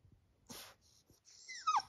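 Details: Labrador Retriever puppy indoors, asking to be lifted onto the bed for cuddling: soft breathy noises, then a short high whine near the end that slides quickly downward.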